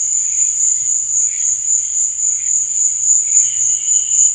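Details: Night-time cricket chorus: a continuous shrill, high trill pulsing rapidly and evenly, with softer lower chirps rising and fading in the background.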